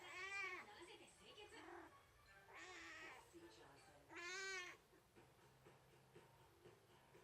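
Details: Rescued stray kitten that wandered into a garden, crying while kneading as the resident cat hesitates over a paw swat; three clear, wavering meows, each about half a second, spaced roughly two seconds apart over a faint indoor hum.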